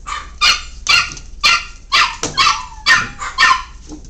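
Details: Miniature Pinscher puppies playing, giving a run of high, sharp yapping barks about twice a second, each bright and clipped, with a few squeaky yips mixed in.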